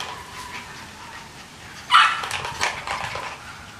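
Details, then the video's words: Big dogs barking in the background during play time at a licensed commercial kennel in Carthage, Missouri, while one runs in a half-acre fenced vineyard; after a quiet hiss, a loud sharp bark bursts out, followed by several fainter, rougher barks. "you can hear the big dogs in the background barking because it's play time so somebody's out running in the half an acre of fenced Vineyard we have"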